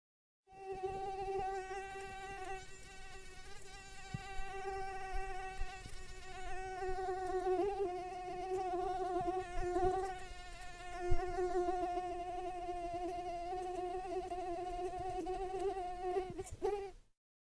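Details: Mosquito. A mosquito drones continuously, its thin, whining buzz staying at an even pitch and wavering only slightly in loudness. The rich, nasal tone runs unbroken for most of the recording before cutting off.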